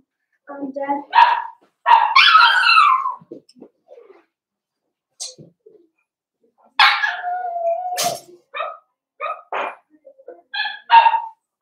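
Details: Blenheim Cavalier King Charles Spaniel puppies, a litter of five born on New Year's, in their home puppy pen on pick-up day, give short high yips and a drawn-out whining yelp between quiet gaps while people talk nearby.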